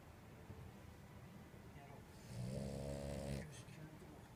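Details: Snoring of Purin, a two-year-old female French Bulldog: a single low, buzzy, rattling snore lasting about a second, rising out of soft room noise midway through.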